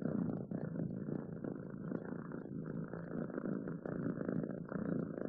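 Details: Quiet close-up purring of a domestic cat, a soft even low rumble pulsing without pause.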